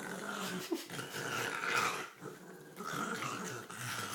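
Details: Olive, a pet dog indoors, plays with her green toy, growling and snorting in low rough rumbles with gurgling, noisy bursts sustained over several seconds, briefly easing around the middle before resuming; a faint spoken word is heard near the start.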